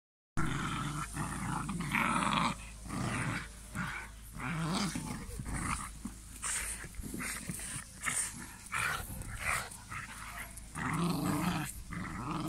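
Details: Male Cane Corso puppy wearing a red collar, described as strong-tempered with excellent prey drive, giving deep rough growls and snarling bursts in a small indoor space, pulsing irregularly with short pauses throughout.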